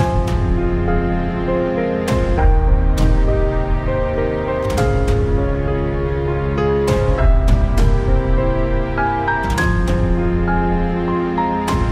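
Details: Gentle instrumental music with sustained tones and a soft, regular plucked rhythm plays throughout, and no animal voice is heard.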